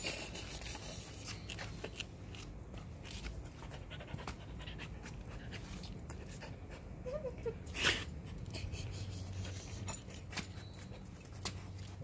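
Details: Whiskey the Alaskan Husky panting during play, a steady run of breathy, rhythmic huffs with a couple of brief squeaky whimpers and a sharp knock midway.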